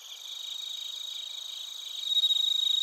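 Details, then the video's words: Crickets in Narita, Chiba, Japan: a close, high buzzing trill pulsing rapidly and steadily, growing louder toward the end over a faint insect chorus. "スズムシとコオロギの鳴き声 - Chirping of crickets"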